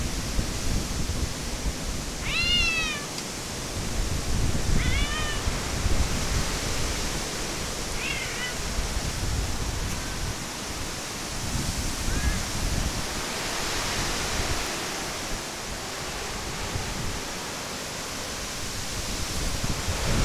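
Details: Cats at a gathering held outdoors during a typhoon; several short arched meows, the loudest early on and then spaced a few seconds apart, fading later, all under a constant heavy roar of storm wind and rain.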